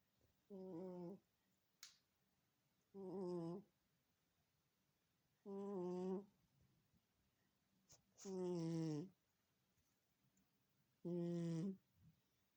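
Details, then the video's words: Loud snoring from a sleeping house cat in a small room, five droning, harmonic breaths spaced about every two and a half seconds, a couple of brief clicks between them. "Cat Snoring loudly. Кошка храпит."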